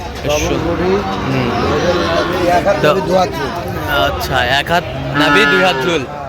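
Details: Sahiwal bull calf at a cattle market in Chattogram, Bangladesh, 13 November 2025: drawn-out harmonic moos rise and fall beneath steady crowd chatter, with people talking close by and market bustle throughout.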